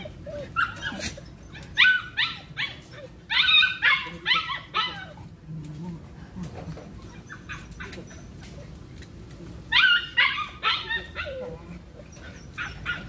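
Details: Belgian Malinois dog during cone training, giving eager high yelping barks in quick groups of three to five, with quieter gaps between the groups and faint room noise underneath.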